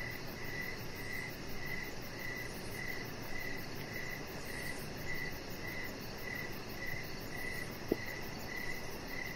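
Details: Evening crickets heard from a backyard deck with a chihuahua puppy resting nearby; high, regular chirps pulse about twice a second against steady low background noise, with one brief sharp click near the end.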